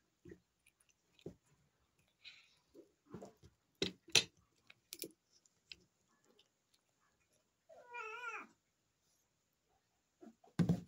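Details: Indoor cat giving one drawn-out, wavering meow that bends up and down in pitch for about a second, set among scattered sharp taps, knocks and short rustling noises, with a loud thump at the end.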